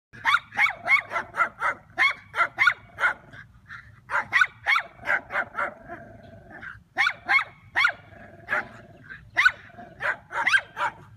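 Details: Schnauzer confronting a turtle, barking in sharp, rapid bursts of several barks each, broken by short pauses, more than twenty barks in all, with a faint low hum underneath.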